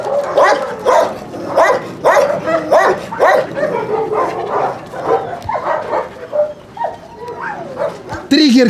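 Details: Dog at a husky kennel during recall training from free play: a steady run of high, harmonic yelping barks, several per second and unevenly spaced, ending in a drawn-out whine.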